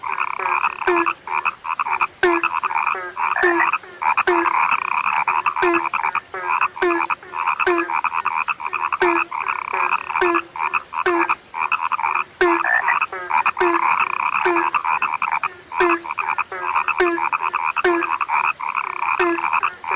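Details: Frogs, described as a now-rare frog sound, croaking steadily in a dense chorus: short pulsed croaks repeat about twice a second over a continuous buzzing trill, with no other clear sounds.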